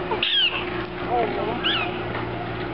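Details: Prairie dogs in their enclosure at the Minnesota Zoo, where they jump up and squeal: two sharp, high, squealing chirps with falling tails about a second apart, over steady crowd murmur and voices.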